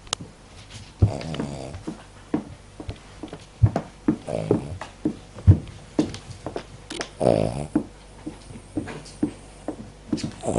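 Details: Cavalier King Charles Spaniel asleep and snoring, giving short, rough, low snorts at uneven intervals. A few longer, buzzier breaths stand out near the start, middle and around seven seconds, with sharp clicks scattered between.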